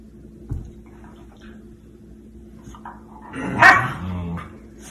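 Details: German Shepherd giving one short, loud bark with harmonic layers, preceded by quiet background and a woman's encouraging voice telling the dog to go up, followed by praise.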